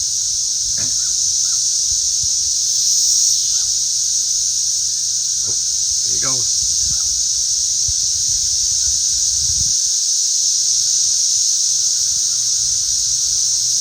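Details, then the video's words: Cicadas flying around outdoors, loud enough to be remarked on; a dense, constant high hiss fills the air without pause, while a person talks and brief knocks and rustles sound nearby. "I was filming the cicadas flying around."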